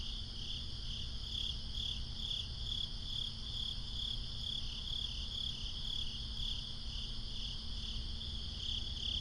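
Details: Crickets calling at night in a swamp: a bright, rhythmic chirping chorus pulsing about twice a second without pause, over a steady low rumble and faint higher buzzing trills.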